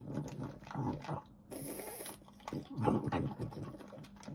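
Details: French Bulldog eating indoors, wet smacking and slurping chews in uneven bursts with a brief hiss in the middle; the low, irregular mouth noises carry no clear burp.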